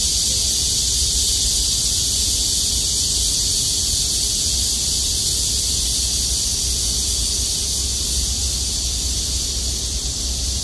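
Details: Cicadas in summer, heard beside flowering wild carrot (Queen Anne's lace), fill the air with a steady, high, hissing drone that never lets up.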